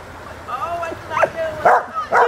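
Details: Puppy, afraid to jump into water, gives thin high whines that hold steady and then bend upward. A person's voice urges it on between the cries.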